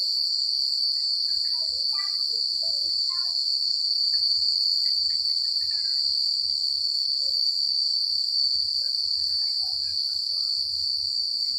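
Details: Crickets chirping on a secluded country night, a steady, shrill, continuous high ringing, with a cluster of faint short chirps near the start and a soft low rumble underneath.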